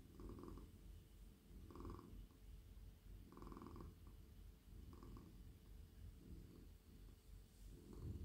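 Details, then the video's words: Very friendly, silky male cat petted in a lap, purring low and continuously; each breath brings a rumbling swell roughly every one and a half seconds, with a slight rustle of handling at the end. "Cosy cat purring"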